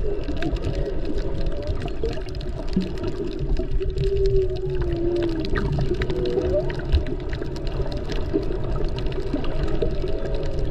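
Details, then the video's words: Underwater humpback whale sounds recorded snorkeling off Maui in February, among mothers and calves; sweeping moans and short upward whoops repeat over a constant low water rumble and faint crackle. "Listen to the whales!!!"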